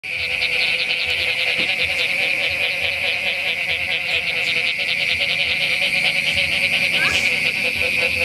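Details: Many frogs call at night after rain at Playa Samara in an unbroken, high-pitched chorus, rapid pulsed notes merging into a shimmering drone, with an occasional clearer note rising above.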